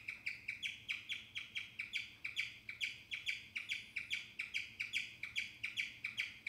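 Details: A guinea pig chirping: bright, bird-like high chirps repeated rapidly and fairly evenly, about two per second, throughout, over a faint low hum.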